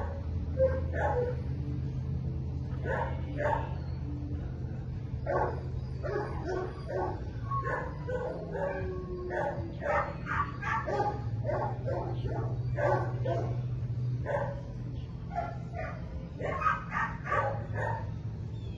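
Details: Belgian Malinois named Minx, in her first week of board-and-train at Florida K9 Academy, gives short barks in quick bursts throughout, over a steady low engine-like hum, with a person's voice mixed in.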